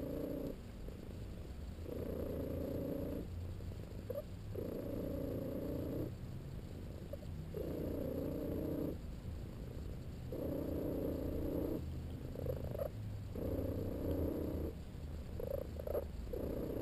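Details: LoneWolf, a pet cat, naps and purrs while getting a massage. A low continuous rumble runs under whistle-like squeaky bands that alternate with quieter breaths, each lasting about one and a half seconds, in a steady cycle.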